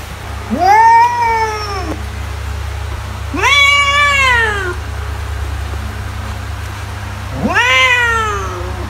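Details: Cat meowing to scare off mice: three separate bright meows, each arching up then falling, spaced roughly three seconds apart, with quiet low humming in between.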